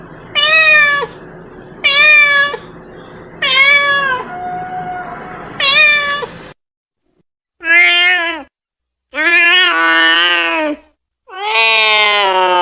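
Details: A cat calls to its friends with four regular rising-falling meows roughly every two seconds over faint hum, then a brief quiet and three louder, longer wavering meows.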